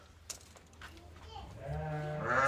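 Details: Bleating from pregnant ewes: after quiet scuffing and a few soft knocks, a rich, rising bleat builds in the final second, growing louder and brighter with strong harmonics as it swells toward the end.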